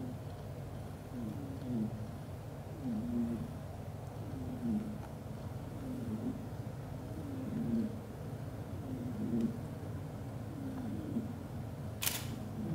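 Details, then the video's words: Sleeping black golden British Shorthair father cat cuddling mother cat and kittens, snoring loudly: low rhythmic rasping breaths repeated about every one and a half seconds over a steady purr-like rumble, a brief click near the end. "hugs all to sleep and snoring loudly"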